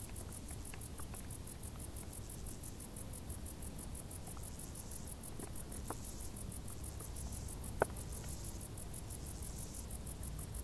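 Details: Summer crickets in tall grass give a continuous high-pitched pulsing chirp, evenly spaced beats running throughout, over a soft low rumble with scattered faint ticks and one sharp click.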